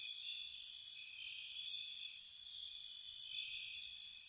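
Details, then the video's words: Spring cottage night with crickets: a level shrill two-tone trill runs throughout while piercing high chirp bursts break in irregularly, about thirty-five a minute. "Cricket Sounds"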